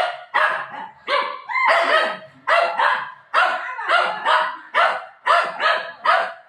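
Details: Pet dog barking indoors at home: loud, sharp barks repeated roughly every half second to second, each bright and harmonic, with little else heard.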